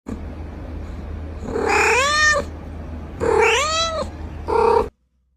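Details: Domestic cat giving three meows: two long, arched, whining meows that rise then fall, each about a second, followed by a short clipped meow, over a steady low hum.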